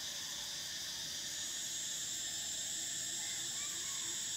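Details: A dense cicada chorus: an unbroken, very high buzzing drone with a slight pulsing texture, steady in loudness from start to finish.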